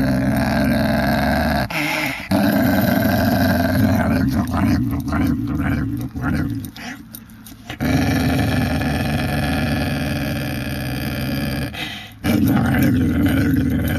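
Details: Whippet bitch growling at length, a deep rasping rumble held for several seconds at a time, dropping out twice for short gaps filled with faint clinks before the steady, grinding growl returns.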